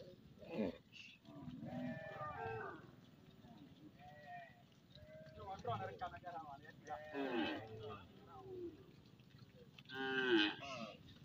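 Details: Cattle in a huge herd, said to number tens of thousands, walking home past the edge of fields in a village with herders; overlapping drawn-out moos and bellows of varied pitch rise and fall throughout, with occasional voices mixed in.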